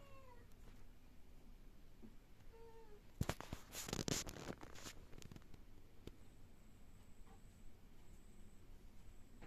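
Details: Cat indoors uttering soft, thin meows in the opening seconds, then a burst of clattering noise mid-way before the room falls back to a low hum.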